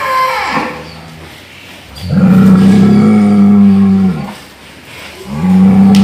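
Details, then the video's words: Cow giving what is described as a snoring sound: a short low call, then a long steady droning tone held about two seconds with rich harmonics, and a third drawn-out tone starting near the end. "SUARA SAPI NGOROK"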